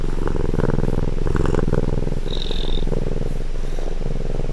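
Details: Domestic cat purring, recorded at close range: a steady low rumbling purr with a dense, fast pulsing throughout, plus a faint brief higher tone near the middle.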